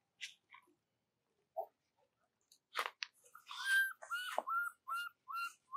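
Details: Orphaned baby monkey crying for its mother before sleep; after a quiet start with a few clicks, a sharp burst leads into repeated clear whistled wails, bending up then down, spaced under a second apart.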